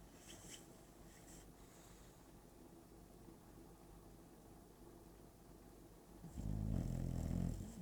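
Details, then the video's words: A sleeping bulldog snoring and twitching; soft, low rhythmic breathing snores, rising into a louder, rougher snort near the end. "Bulldog Barbie sleeping, snoring and twitching"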